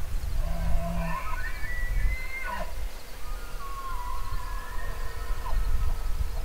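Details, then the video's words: Elk bugling: high, thin whistled tones slide upward and then hold steady, followed by a second long, level whistle that drops off at the end. Strong low rumbling wind noise runs underneath throughout. "Elk Bugling"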